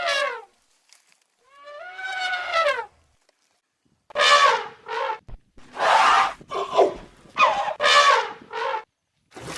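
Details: Elephant trumpeting in a series of loud harmonic blasts: two rising, wavering calls with long pauses, then a rapid run of short, brassy, roaring bursts.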